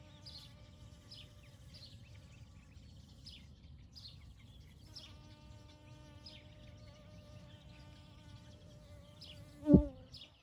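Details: Kept bees busy among field poppies on a May morning in 2022, collecting pollen and nectar; a soft hum becomes a clearer, steadier drone midway, with sparse high bird chirps and a sharp knock near the end.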